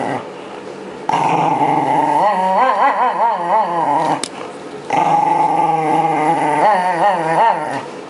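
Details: Shiba Inu groomed during seasonal shedding of its winter coat, just before spring 2012; two sustained, undulating growls of about three seconds each, separated by a brief quiet break with a sharp click.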